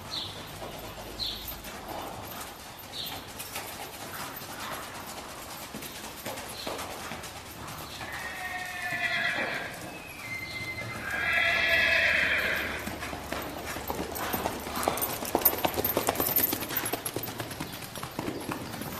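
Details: Paso Fino horse at Riverview Farms, Mount Jackson, Shenandoah Valley, Virginia, where the stallion Charlies Capriati is ridden in an arena along a Fino Strip; a long, shrill, wavering whinny rises midway over quick, even hoofbeats on the boards.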